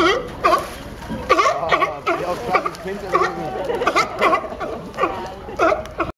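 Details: Funny sea lion noises at Pier 39 on Fisherman's Wharf in San Francisco: overlapping, bleating, goat-like barks come in irregular bursts almost without pause, with splashing water faintly underneath.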